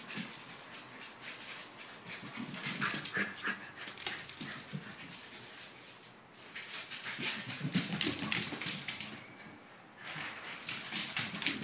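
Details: Maxwell, a Pembroke Welsh corgi, dashes through an apartment to tire himself out. Fast, rhythmic panting mixes with scrabbling, clattering bursts from his paws. The noise eases around nine seconds, then picks up again.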